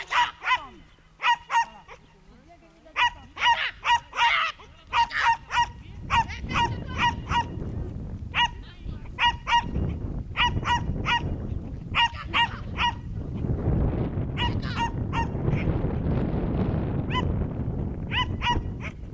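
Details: A young Schipperke on a herding training course in September 2010 keeps up steady, high, clipped barks in clusters of three or four, over a constant roar of wind or handling noise.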